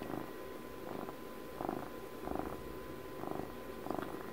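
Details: Domestic cat purring close up, rhythmic rumbling pulses at a slightly uneven pace of about one every second and a half, soft continuous vibration between breaths, quiet room with a faint steady hum.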